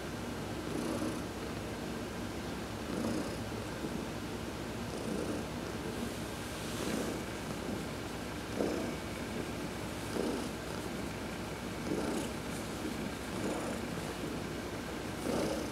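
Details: Massaged during a sun bath on November 19, 2020, Heidi the house cat purrs in a long run of rhythmic pulses, each swell arriving every one and a half to two seconds, with a quiet steady hum behind.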